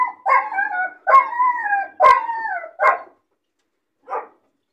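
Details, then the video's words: Puppy kept alone in a cage, crying from loneliness and boredom: three long wavering whines with sliding pitch, each opening with a sharp bark-like onset, followed by a short yelp and one faint final bark. "Puppy crying and barking sound , loneliness and bored puppy cries"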